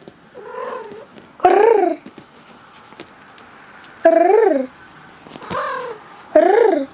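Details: Domestic cat described as happy, squirming; a series of wavering, bending meows, about five calls spaced one to two seconds apart, with quieter murmurs between and a person talking nearby.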